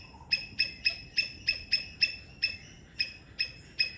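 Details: In Sri Lanka, a three-striped palm squirrel gives sharp, high chipping calls repeated about three times a second.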